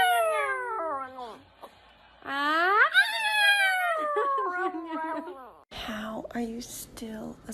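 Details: Dog from a funny pet compilation making falling whines, then a rising, drawn-out howl that sinks slowly, followed by short yelping sounds.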